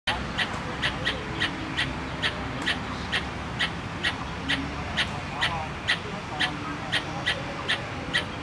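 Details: Squirrel calling in Tainan Park, Taiwan, recorded 13 October 2015: sharp, clipped chips repeated about twice a second in a steady series, over a low hum of background noise and faint voices.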